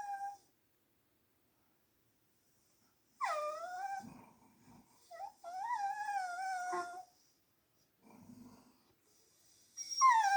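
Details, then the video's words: Sleepy female Blue Heeler Corgi mix whining on hearing a man snoring: drawn-out, wavering high whines that rise then slide down, a few seconds each. Faint snoring sounds between them in a quiet room. "Dog whining when she hear dad's snore"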